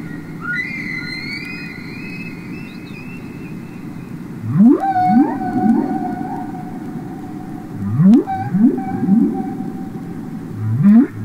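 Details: Humpback whale song recorded underwater, from the Capitol Records album ST-620 of real whales singing: long level whistled tones with harmonics, then rising swoops repeated in pairs every few seconds over a low rumbling background.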